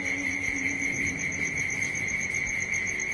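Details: In the evening on a rural property, what the speaker takes to be crickets, though unsure what it is, holds a steady, high, ringing trill with a fainter higher whine above and a soft low rumble underneath.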